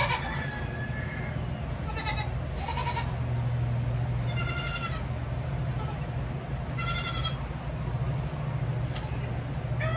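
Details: Baby goats being handled during hoof trimming give several short, quavering bleats with a pulsed, shaky tone, spaced irregularly over ten seconds, over a steady low mechanical hum.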